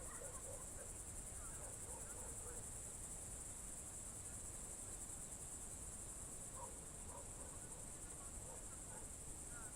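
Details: Crickets at dusk, June 2023, Novye Buregi tract, Novgorod Oblast, Russia: a sustained high, rapidly pulsing trill dominates, while faint, short, scattered mid-pitched notes appear now and then beneath it.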